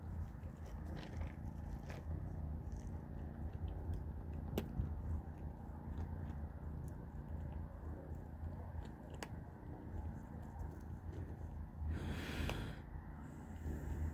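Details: Low continuous purring from the kittens Panda, Grayie and Goldie as they eat cat food at dinner, with scattered crisp chewing and biting clicks and a brief burst of louder rustling near twelve seconds.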